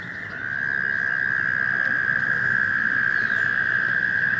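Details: Spring gathering of American toads calling from a stream to find a mate; a sustained, even, high-pitched trill swells in and holds steady, with low background rumble.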